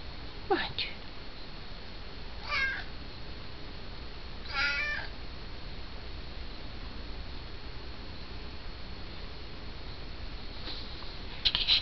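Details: Pet cat in a small room, trading meows with its owner. Three short, bending meows spaced about two seconds apart early on, then quiet room noise and a faint sound at the end.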